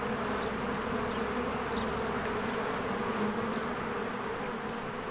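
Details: Many honeybees flying in and out of their hive in spring, making a dense, steady, low buzz with a constant hum throughout. A few faint, brief chirps sound high above it.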